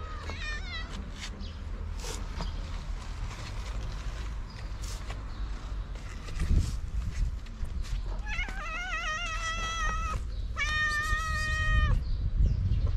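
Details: Hungry stray cats outdoors, curious about food carried in a backpack; a short rising meow near the start, then two clear harmonic meows around eight and eleven seconds, the second long and steady, over low rumbling background noise.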